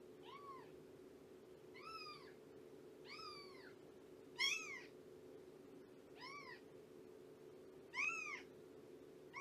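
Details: Morning at Purrfect Pals with Shelby, an abandoned mother cat estimated at two years old: a series of about seven arched, mewing meows a second or so apart, some louder and sharper, over a constant low room hum.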